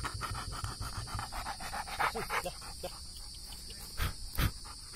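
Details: Five honey badger (Mellivora capensis) cubs without their mother give rapid, rhythmic huffing pants mixed with short squeaky whimpers.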